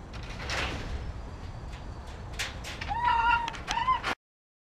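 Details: Captive blue-phase Arctic fox named Slush Puppy, nicknamed zombie fox, giving short wavering whining cries near the end after a stretch of breathy noise and rustling.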